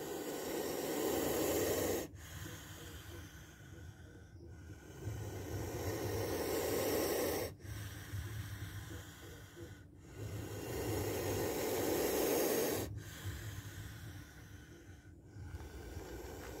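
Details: Repeated defensive hissing from a spectacled cobra filmed striking: a series of long, raspy, noisy exhalations, each about two seconds. Five or six hisses, each broken off sharply, come over some sixteen seconds against a low rumbling background.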